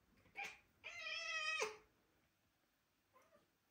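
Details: Young British Shorthair cat chasing a laser indoors gives a brief chirp, then one clear, sustained meow of nearly a second, steady and rich in tone, followed by a faint short chirp in a quiet room.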